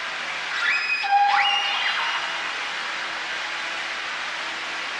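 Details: Whales grunt and squeal, high and harmonic, sweeping up and down over a strong, steady engine drone.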